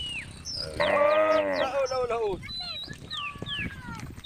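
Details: Female cow in a tame group on Jalan Kampung giving a single moo of about a second, a harmonic-rich, steady bellow that bends downward at its end, with whistled bird calls sounding around it.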